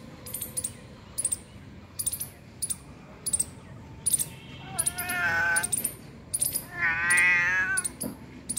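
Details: A domestic cat, found two kilometres from home, gives two drawn-out, wavering meows in the second half, each under a second long, over steady sharp metallic ticking and jingling clicks.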